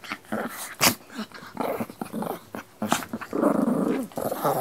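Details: Dog indoors making scattered short snuffles and yelps, then a longer rough growl in the last second and a half, with a few sharp clicks or knocks in between.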